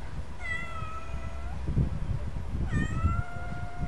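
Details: Freckled Şaziye, a Turkish pet cat, meows twice, each a clear, level, drawn-out mew about two seconds apart, above a constant low rumble of background noise.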